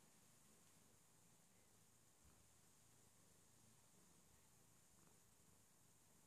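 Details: A Scottish Fold cat, relaxing and stretching, gives a quiet, continuous purr, a deep throbbing rumble with a steady rhythm; faint hiss and small rustles in a quiet indoor room.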